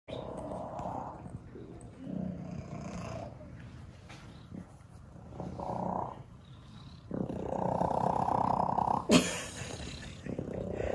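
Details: Male shelter cat purring very loudly while being photographed at an animal shelter: a continuous low rumbling purr that swells and fades, a louder stretch near the end, with a sharp click and room noise.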